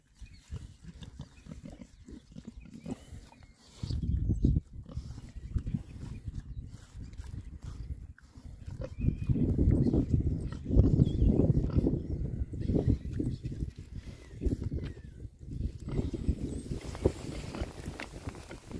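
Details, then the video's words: Rare-breed Oxford Sandy and Black pigs, six boys out on a winter forage between storms, keep up a rapid stream of deep, throaty grunts that swell and fade while they root noisily through the ground. "rare breed Oxford Sandy and Black, happy pigs, winter forage. 6 boys. ASMR oinks."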